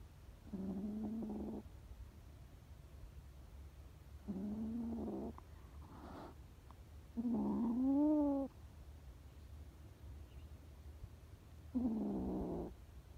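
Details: Scared stray kittens meowing: four drawn-out, plaintive meows a few seconds apart, one rising then falling in pitch, over a steady low hum.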